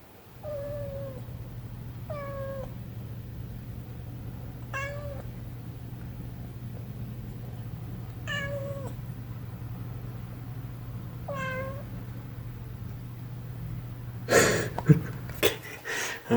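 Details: Milo, a Munchkin kitten, gives five high, plaintive meows spaced about two seconds apart, each with a sharply bent pitch, over a steady low hum; a burst of rustling and clatter follows near the end.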